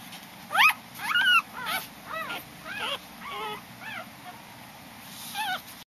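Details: Newborn Corgi puppy, five days old, whimpering while weighed: a loud sharp rising squeak, then a series of arched, wavering high whines about twice a second, fading toward the end.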